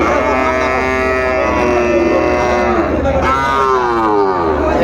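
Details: Sahiwal bull calves at Ambari cattle market, Parbatipur, Dinajpur, Bangladesh, on Friday 31 January 2025, with a farmer from Chittagong buying; a drawn-out harmonic moo rises and falls over steady crowd chatter and nearby voices.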